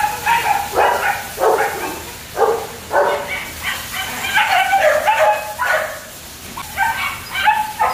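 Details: Young German Shepherds at a kennel yap in short, shrill barks about once or twice a second. Calls from more than one puppy overlap near the middle.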